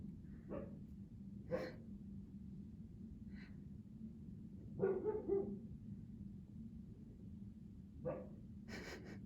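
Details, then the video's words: Juno, a Siberian Husky who rarely barks, outdoors on a cold, windy day, giving short separate barks a second or more apart with breathy sounds between, over steady low wind rumble. "Juno Barking?? Since when!"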